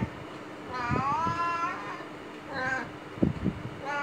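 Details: Cat kept in a cage during aftercare, 17 days after neutering, giving a drawn-out wavering meow followed by shorter meows, with thumps and a steady low hum indoors.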